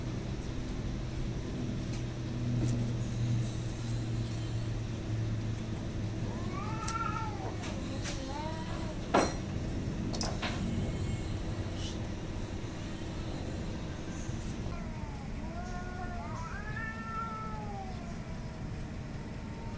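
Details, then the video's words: Fighting cats heard through heavy low rumble: short arched yowls around the middle, a sharp knock, then another cluster of rising-and-falling wails near the end. "cat fighting, hating each other"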